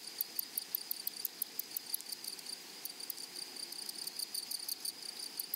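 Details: Grasshoppers in a flowery meadow: short, bright, raspy bursts of chirping, several in quick succession and then a brief pause, over a steady high hiss of further insects.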